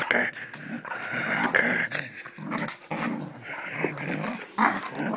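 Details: Springer spaniel growling while play fighting indoors; rough, low growls come in uneven bursts with short pauses, broken by sharper snarling yaps and scuffling.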